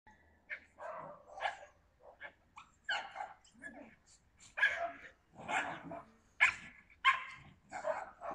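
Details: Yakutian Laika recorded in September 2020, giving short, sharp barks in irregular bursts, some rising and falling in pitch, with quieter gaps between them and human voices mixed in.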